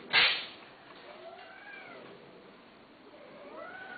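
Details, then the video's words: Cat offered for sale, giving soft, thin meows with gently rising and falling tones, after a brief sharp noise at the start; quiet indoor background. "قطوه للبيع"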